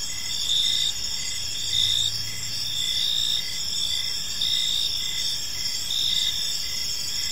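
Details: Crickets at evening in a park, layered high-pitched trills ringing steadily, beats of louder chirping near each second, with a brief low drone of distant traffic or machinery early on.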